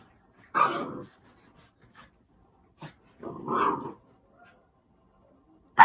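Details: French Bulldog puppy, five to six months old, rescued, kept indoors and resisting bedtime while tearing at its bed: two rough, noisy barks about three seconds apart, then a short sharp onset at the end.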